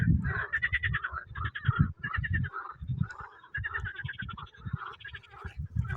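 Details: Frogs calling in spring, said to be announcing that spring has come: dense overlapping rapid pulsed trills in repeated bursts, with heavy low booming throughout.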